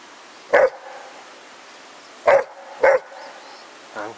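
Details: Spike, a pet dog playing outside with his 10 lb weight, gives short, sharp barks: one, a pause, then two close together, and a softer whine-like sound at the end, while a person's voice teases nearby.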